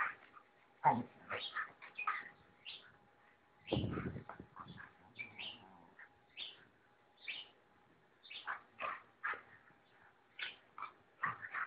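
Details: Rottweiler reacting when disturbed, giving a steady series of short, sharp yelping barks and whines, with a dull low thump near the middle.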